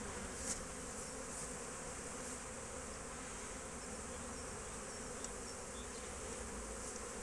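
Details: Many honey bees foraging at a beekeeping yard, 12 March 2024: unbroken droning hum of countless wings, even in loudness, with faint ticks and taps scattered through it.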